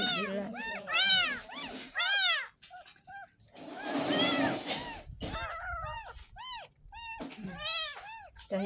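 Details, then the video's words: A 10-day-old kitten, found in a roadside drain, getting its first bath: rapid high arched mews repeated about once a second, with a girl's voice and background music between them. "Kucing Mandi"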